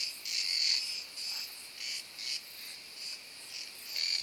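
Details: Large cicada singing in summer woodland, where it calls almost nonstop from sunrise as the air heats until dark; shrill buzzing phrases swelling and fading in pulses about every half second.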